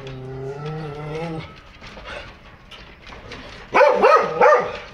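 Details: Several foreign-breed dogs kept at a house give a quick burst of about three loud, harsh barks near the end. Before them a steady low humming tone fills a stretch of faint background sound.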